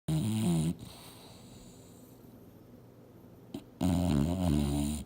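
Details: Mildred, an English Bulldog, dreaming hard while asleep on the couch indoors: two loud, low, rumbling snores with a steady harmonic drone, separated by about three seconds of quiet breathing.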